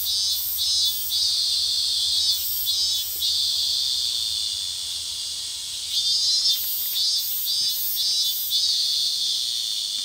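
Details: Robust cicada (Hyalessa maculaticollis) just starting its summer season sings a loud, shrill, pulsing drone that swells in repeated bursts.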